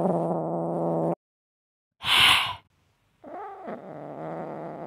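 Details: Angry Siamese kitten kept in a cage and demanding to be let out: a low, rough, harmonic growl, then silence, a sharp breathy hiss-spit burst, and a second drawn-out growl wavering near the end.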